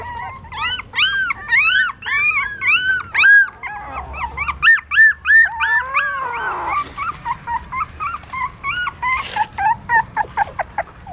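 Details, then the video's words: Several newborn puppies suckling their mother's milk at a pagoda stupa, Siem Reap, Cambodia; dense runs of high arched squeals and whimpers, a longer wavering whine near the middle, then quick rhythmic yips. "Amazing puppies sucking mom milk that is natural feeding"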